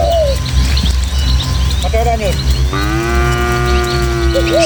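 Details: Village cattle, a tame herd of dozens moving through hilly countryside along footpaths toward their pen; a short lowing call near two seconds, then a long, steady, drawn-out moo over the last two seconds, with bird chirps and a constant low hum.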